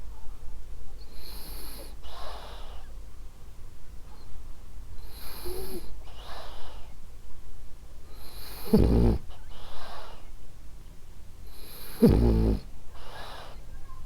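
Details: French Bulldog Ariva, a pet, sleeping and snoring: soft rasping breaths alternate with short loud low snorts near the ninth and twelfth seconds, a wheezy hiss on each exhale, quiet room.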